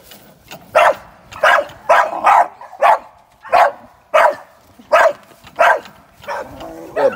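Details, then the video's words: American Staffordshire Terrier, a young sporting dog being trained for ADBA top dog shows, gives sharp, loud barks about every two-thirds of a second, ten in a row, fairly steady. "Training sporting dogs"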